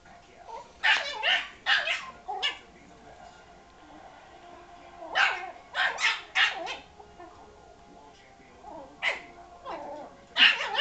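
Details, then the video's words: Yorkshire Terrier circling and barking at a ball that was rolled into him, indoors; sharp high yappy barks in quick clusters of two to four, separated by pauses of several seconds, with a person laughing quietly. "mad at ball"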